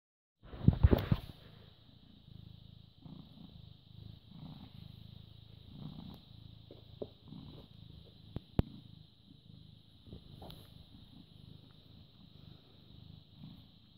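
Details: British Shorthair cat born 18 August 2010, recorded 14 May 2017 at 09:16, purring steadily with a low rumbling pulse; loud handling knocks near the start, a sharp click later, and a constant high electronic hum.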